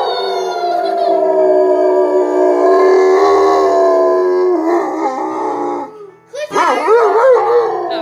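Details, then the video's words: Family dog 'singing' along with girls to music, drawn-out steady howl holding pitch for several seconds, a brief break, then a wavering, rising and falling howl, with music and voices mixed in. "ze zingen met balou! zo lief en grappig"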